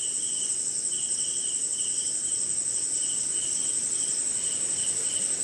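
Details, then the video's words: Crickets at night during rain somewhere in India: a steady high shrill trill with a pulsed band of short chirps below, repeated about three times a second, over a soft hiss of rain and other insects. "Cricket & Swamp!"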